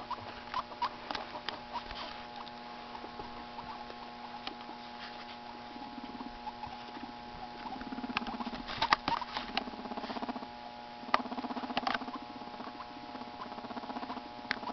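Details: Two pet guinea pigs, FuzzyWuzzy and Walter, getting to know each other while Walter cleans his fur; soft low pulsed rumbles come in short bursts over steady rustling, scratching and patter, with a constant low electrical hum.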